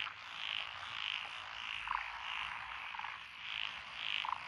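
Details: Several frog species calling in lotus paddies along a rural road in Echizen City, Fukui Prefecture, on 12 June 2021; distinct high croaking bursts about every half second, with lower, deeper notes slipping in between against a soft chorus.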